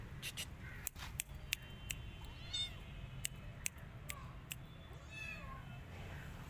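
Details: Rescued kittens sheltering in a jacket let out two or three short, high meows between sharp clicks and rustles of fabric.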